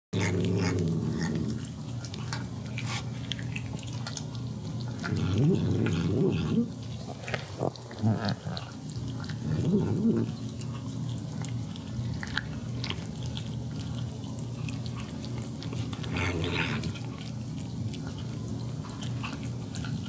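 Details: A pet cat eating her food, tasting the gravy and seeming to say yum yum: low, rumbling, growl-like murmurs in bursts near the start, middle and later, over a steady low indoor hum.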